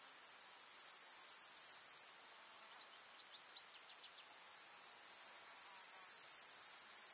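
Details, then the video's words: Countryside summer meadow grasshoppers keep up a shrill, unbroken hiss, quieter for a few seconds after an abrupt drop. A brief series of soft, higher chirps flickers through the middle. "КУЗНЕЧИКИ. Слушать звуки летнего луга"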